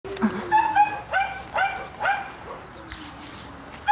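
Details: French Bulldog barking: a run of about five short, high, harmonic yaps spaced roughly every half second, followed by a quieter lower whine, with a woman's voice calling nearby.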